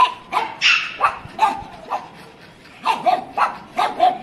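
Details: A pug gives a quick series of yappy barks, some higher and whinier, about nine in four seconds, with a short pause midway.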